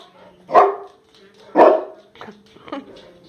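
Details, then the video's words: A young female mastiff, 14 months old, and a 4-year-old American Bulldog bark at their reflection: two strong, deep barks about a second apart, then two weaker ones, with a woman's calm voice in between. "Barking at their reflection"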